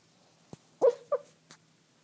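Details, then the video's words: Kaiser, a small dog, dreaming: a faint click, then two soft, muffled yips in quick succession, the first longer and the second shorter, followed by a faint puff of breath in a quiet room. "kaiser dreaming"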